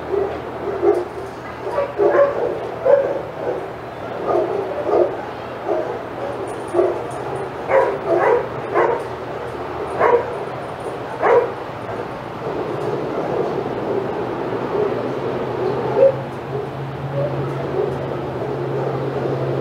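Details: Several senior dogs bark excitedly in an outside yard at Old Friends Senior Dog Sanctuary while Titus passes. Scattered sharp barks and yips in bursts, thinning out toward the end over a low steady hum.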